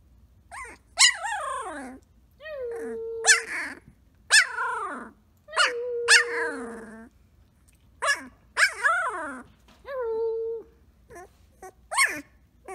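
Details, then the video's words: Playful Samoyed puppy Blue Boy of the Rose X Rider litter roos repeatedly: arching harmonic yowls alternate with level, sustained roo tones, interspersed with short barks and growly whines over about thirteen seconds. "Samoyed Puppy Blue Boy Plays and Roos"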